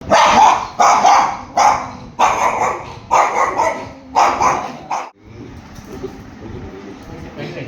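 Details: Three Dachshund dogs, pets, fight possessively over their owner's lap, giving sharp repeated barks and growly yaps in a quick burst of about six, then a woman speaks soothingly in Tamil.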